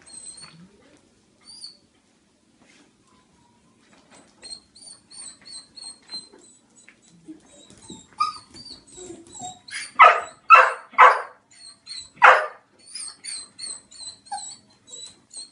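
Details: Dog in the company of cats, giving thin, high whimpering whines in short repeated bursts, then a cluster of four loud, sharp yelps between ten and thirteen seconds before the soft whining resumes, indoors and otherwise quiet.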